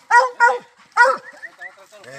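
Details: Treeing Walker Coonhound out hunting, giving three short, ringing barks in quick succession, then quieter murmuring voices.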